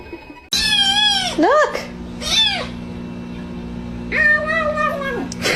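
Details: Kitten meowing: four drawn-out, wavering meows, the first long and bright, then a short bent one, a mid-length one, and a final long steady meow, over a constant low electrical hum.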